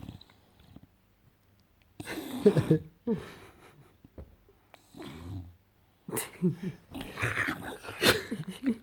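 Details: Enzo the English Bulldog romps on a couch, giving bursts of wheezy snorts and throaty grumbles between quiet gaps, the gremlin-style noises coming in irregular clusters.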